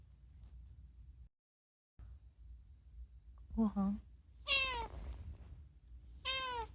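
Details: Rescued pet cat Unagi chattering indoors, mostly food-related calls: a short low double chirp followed by two bright, arching meows about a second and a half apart, each rising then falling, with quiet room noise.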